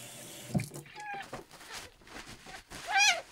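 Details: Red tabby and white male kitten Miel, ten days after rescue, dehydrated and not drinking milk, gives one sharp rising-falling meow near the end, with a fainter cry earlier amid indoor handling noise and voices.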